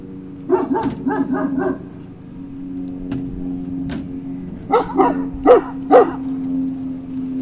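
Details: Great Danes at Puppy Hill on the evening of 19 February 2019: a rapid run of four short barks, a pause with faint clicks, then four louder barks in quick succession, set against a constant low electrical hum.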